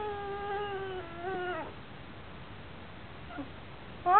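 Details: Basenji-Chihuahua cross whining because it needs to go out but is being asked to do something: one long, slightly falling, tonal whine, then a pause, then a sharp rising yelp-like cry at the end.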